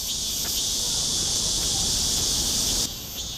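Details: Male Korean cicada (참매미) in an apartment garden, crying as it approaches a female to court her; she seems unmoved. A dense, steady high buzzing drone fills the clip, cutting off abruptly near the end.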